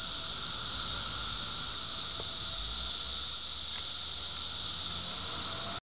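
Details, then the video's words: Summer cicadas fill the air with a continuous, even, hissing buzz pitched high and never pausing, cutting off abruptly at the end; a soft low rumble sits underneath. "Why I hate Cicadas..."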